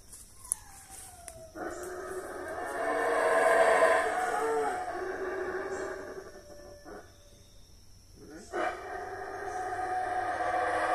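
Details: In Mexico, saraguatos, the howler monkeys, break into a sudden rasping roar after a quiet start. The deep layered howl rises and then sags, pauses briefly, and comes back strongly near the end.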